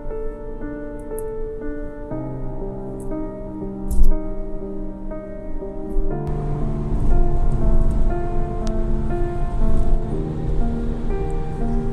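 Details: Soft instrumental music with sustained tones and a rain-like patter fills the track; no animal calls are heard.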